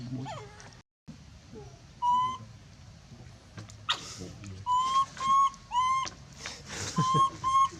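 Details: Monkey screaming for help amid background rustling and clatter: an isolated wail, then several short, shrill, level-pitched screams spaced about half a second apart near the end.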